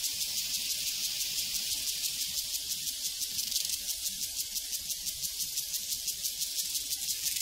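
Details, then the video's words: Prairie crickets in full chorus, their high shrill chirps pulsing at a steady, regular beat, roughly three per second, over an unbroken background trill. "Sounds from a Prairie Crickets and Cowbells"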